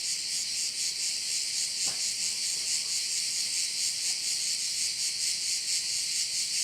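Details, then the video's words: Crickets by a bay in Korčula form a constant shrill, pulsing wall of sound, beating about twice a second; a brief soft click cuts through near the two-second mark. "View of one of the bays in Korcula with sounds of crickets"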